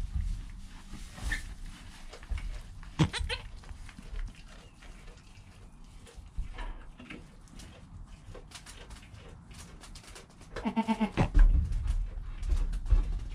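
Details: Joel, a goat kid in his first hour after birth, with his mother Penny close by, recorded on a GoPro: a brief bleat around three seconds and a clear stacked, quavering bleat near eleven seconds over low shuffling noise.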